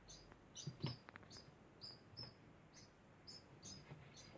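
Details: A degu gives a constant series of sharp, high squeaky chirps spaced about half a second apart, with rustling clicks near the start.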